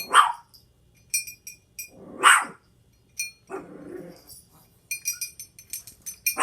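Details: Indoor chihuahua barking at a pet quaker parrot and possibly the door while the parrot rings a bell: several sharp, high, scattered barks and a rougher growly bark, with bright bell tings in between.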